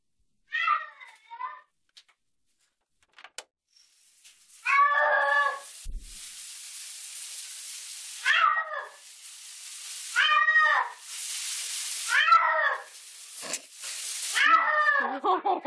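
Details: Pet cat screaming while being bathed in a shower, losing his mind; a series of loud harmonic yowls, arched and wavering, repeated about every one to two seconds, with rushing shower water between calls.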